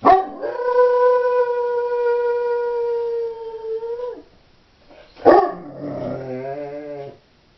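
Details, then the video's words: A Doberman bitch alone at home gives a long, level howl held for about four seconds before dipping, then after a brief gap a second howl begins with a sharp onset and breaks into wavering, falling tones. "Howling Doberman"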